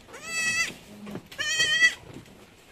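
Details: Anglo-Nubian goats on a Negros Occidental farm in the Philippines while kids are being born: two loud, nasal, strongly harmonic bleats about a second apart, each roughly half a second long, over quiet room background.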